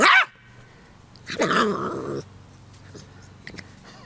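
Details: Dog giving a sharp short bark, then after a pause a longer rough, growly bark lasting nearly a second, over a low indoor hum.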